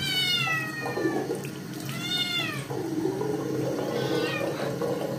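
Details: Loud meows from a Scottish kitten that does not want a bath after dirtying its paws; a falling cry, then an arched, rising-and-falling meow, with tap water and splashing underneath.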